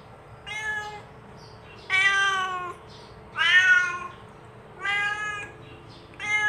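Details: Genuine cat voice used to call other cats to approach; five drawn-out meows, bright and harmonic with a slight wavering fall, coming roughly every one to one and a half seconds over a low hum.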